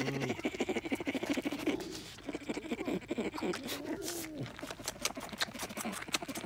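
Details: A baby bear at Dade City's Wild Things sucks his paw and hums himself to sleep in a rapid, throaty, motor-like purr that rises and falls in pitch.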